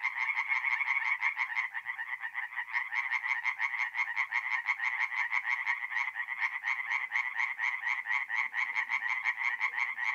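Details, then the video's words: At a forest pond in North-East Italy on an April night, tree frogs sing in a loud, quick, rhythmic rattle of distinct pulses, several voices layered into one nonstop trilling chorus. "relaxing forest pond by night with singing tree frogs"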